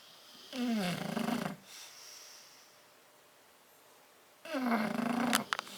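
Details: Two bulldogs, Tyson and Tyra, asleep in their crate on 10/30/12, snoring: two rasping, droning snores about four seconds apart, each lasting roughly a second, with a low rough tone and a quiet room between breaths.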